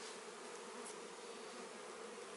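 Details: Honey bees being added to a Warre hive on the first day, after arriving late in the season: a steady, dense buzzing drone that holds even throughout, with a broad hiss above it and no clear other sounds.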